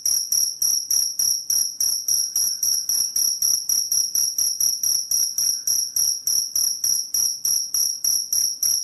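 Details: Chirping cricket used as a rat repellent: high, piercing, bell-like pulses in an unbroken steady train, around three and a half per second, sharp onsets fading slightly, nothing else audible.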